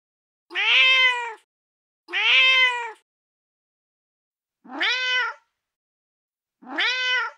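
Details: Four meows from a feral mother cat calling her kittens: two level, drawn-out calls close together, then after a gap two shorter meows that rise at their start.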